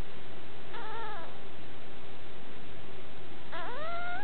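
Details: Two whines from a puppy: the first short and slightly falling, the second rising steadily and held, separated by about two seconds of low hum.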